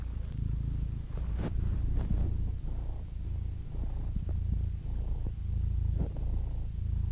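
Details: A purring cat: a continuous low rumbling drone with soft uneven pulsing, a few faint brief clicks and rustles over it.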